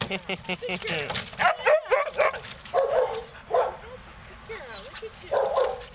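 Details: Australian Cattle Dog, a dog available for adoption at a shelter, giving short, sharp barks and yips in uneven bursts, several close together, while a person talks nearby.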